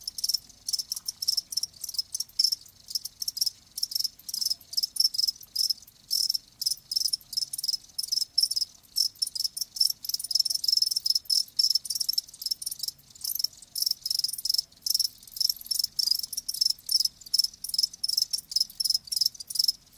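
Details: Live crickets in a steady high chorus of rapid pulsed chirps, nearly continuous with many short gaps, several insects overlapping, light low background noise throughout.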